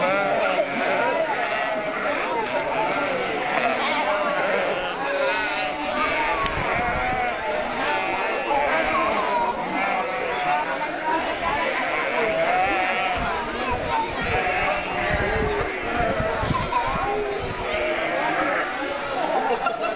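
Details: Sheep and lambs bleating continuously in a mixed herd of almost 1,000 with goats, moving along Mörnsheim's old market streets in Altmühltal Nature Park during the May 2012 drive to summer grazing; many voices overlap beneath people talking.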